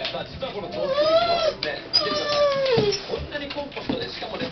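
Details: Pet dog COCO pacing back and forth indoors, whining with discontent because the company president fails to appear on the Japanet TV shopping broadcast; long, sliding, high whines that rise then fall, with television speech in the background.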